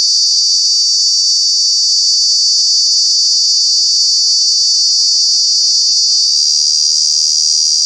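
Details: Loud summer cicada call recorded in Kanha National Park, Madhya Pradesh, India: an unbroken, intense high-pitched droning buzz throughout, with a slight shift in tone near the end.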